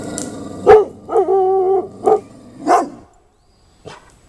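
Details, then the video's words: Pet dogs alerting to a scary floating thing: a sharp bark, then a drawn-out whining, growly vocal lasting nearly a second, followed by two more barks and a faint final woof. "Alert Dogs"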